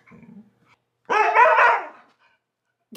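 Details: Vocal Siberian Husky pet indoors yells at his brother: a short, rough, strained outburst under a second long, rising and warbling before cutting off, after brief quiet human speech.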